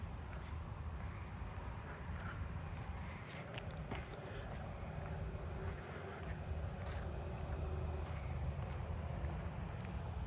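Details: A southern ground cricket sings a steady, high, buzzing trill through a night insect chorus in a residential neighbourhood, with eastern gray tree frogs also calling.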